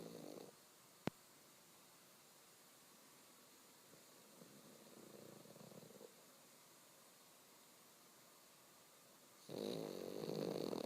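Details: Pug snoring awake or asleep; a brief snore at the start, a sharp click, a softer rattling breath midway, then a louder harsh snore closing the clip.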